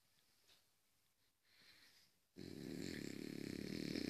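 After a near-silent start, a French Bulldog breaks into heavy snoring. The sound is a coarse, buzzing rattle with a deep, throaty tone that pulses rapidly and keeps going steadily.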